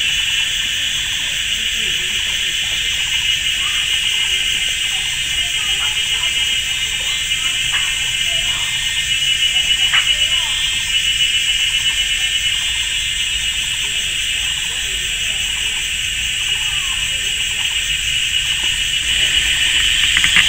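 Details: A deafening cicada chorus fills a sunny summer forest at GuanYin Shan, Taiwan. A continuous high, sizzling drone with a rattling layer, and scattered brief lower chirps and clicks underneath.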